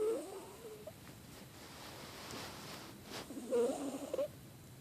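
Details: Amy, a cat with a cold, breathes noisily in her sleep, a short whistly snort at the start and a longer squeaking, moaning snore near the end over soft indoor hiss.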